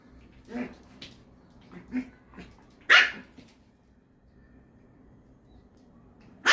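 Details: Poodle at home, one of the brothers Iruma and Dory, with Dory leashed indoors. Short clipped barks and yips come in an uneven string, one loud bark stands out, then a quiet pause before a final abrupt bark.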